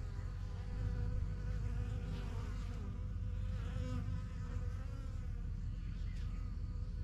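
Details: Busy backyard honey bee hive begun in spring 2023, bees getting used to the surrounding area; thick low droning buzz of many bees, with faint wavering higher tones drifting over the steady hum.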